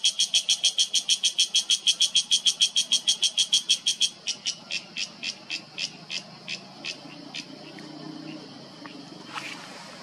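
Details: A cicada in a Himalayan mountain oak forest in Uttarakhand, India, in September 2023, gives a loud, rapid series of harsh, buzzy pulses that slow and fade toward the end; its call reverberates through the mountains.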